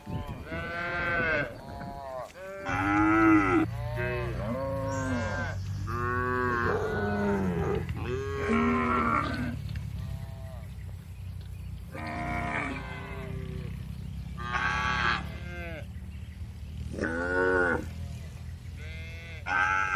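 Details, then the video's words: Calm cattle in a spacious farm barn moo repeatedly, a loud chorus of overlapping arched, harmonic bellows from several cows, some short and some drawn out, over a steady low machine-like hum. "Calm Cattle Sounds"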